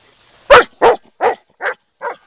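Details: Black German Shepherd dog giving five quick barks in about two seconds, each slightly softer than the last, with a quiet background.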